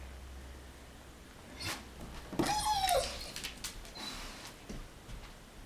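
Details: German Shepherd reacting to a big truck in the street: one rising-then-falling whining cry of about half a second, preceded and followed by short sharp knocks and scuffs indoors, with a faint low hum underneath.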